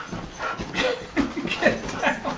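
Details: Lexi, a female Siberian Husky, protests at being made to get off freshly washed sheets while the bed is made indoors; short wavering whines and yips rise and fall several times over two seconds, with a person speaking nearby.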